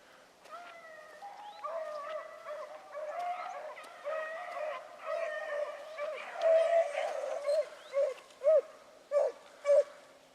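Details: A pack of rabbit hounds at Salt Lake WMA, 2 February 2018, morning, running a rabbit in 400-yard circles: a far chorus of bawling bays swells, then one nearer dog gives loud, separate bays about every second.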